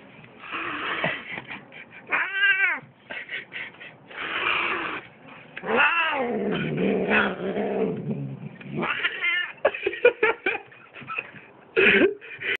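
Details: Cat hissing: harsh breathy hisses alternate with drawn-out wavering yowls and growls, loud and close, continuing for over twelve seconds.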